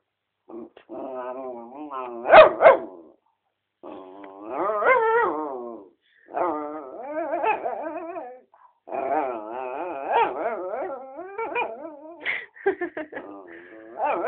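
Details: Four-year-old mixed-breed dog indoors beside a person's feet under a chair, vocalizing for attention or in playfulness: drawn-out, wavering whines and moaning yowls in bursts of one to three seconds, with a few sharper yelps, separated by brief silences.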